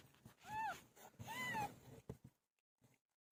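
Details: Pet cat named Pilo, giving birth: two arched, drawn-out meows rising then falling, the second longer, followed by soft knocks and low rustling.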